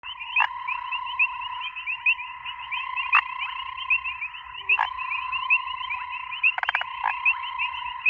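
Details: A grey foam-nest tree frog (Chiromantis xerampelina) gives short, harsh croaks and clicks over a dense, ringing chorus of frogs.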